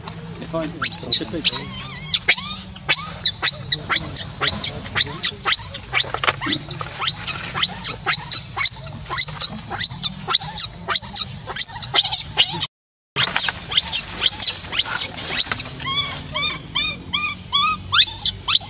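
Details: Left alone, the orphan monkey Rainbow cries on and on to call Libby back. Dense, rapid, high shrieks follow one another almost without pause, broken by a brief gap, then several short harmonic squeaks near the end.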